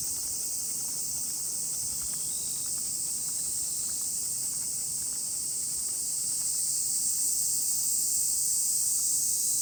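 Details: Dense cicada chorus, a continuous shrill buzz from many insects at once, recorded on a walk with a miniature pinscher; light rhythmic footsteps patter below and the drone swells slightly near the end.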